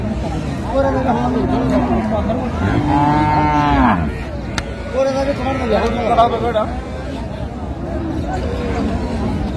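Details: Improved-breed dairy cows and calves at Raniganj haat in Dinajpur, 12/6/25: two drawn-out lowing moos, the second swelling higher and brassier before breaking off, amid constant crowd talk and bargaining voices.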